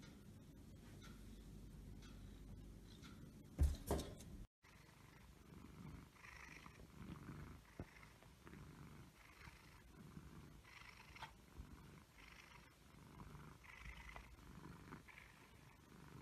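An Egyptian Mau cat purrs steadily, a low rumbling vibration that pulses with each breath.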